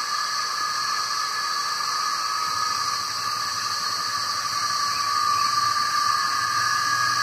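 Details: Male cicadas swarming the trees sing to attract females in their mating season; a continuous hissing, metallic drone that swells slightly louder toward the end, with no pauses.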